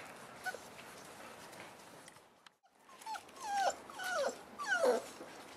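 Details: Boerboel puppies at five weeks old with their mother; after a quiet pause, a series of high whining whimpers with descending, wavering pitch, three or four cries in the last two seconds.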